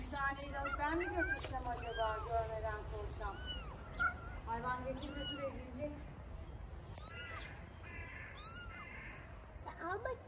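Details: Stray baby kittens living on a street in Istanbul meow for their mother cat: high, arching, wavering meows repeat in quick succession and overlap one another, with a woman and another person talking in Turkish alongside.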